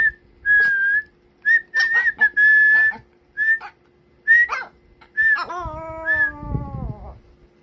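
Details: Kkomi the Pomeranian answers whistling. Short whistled notes alternate with gaps, then a long falling whine-howl with rich harmonics lasts over a second while a whistle continues above it.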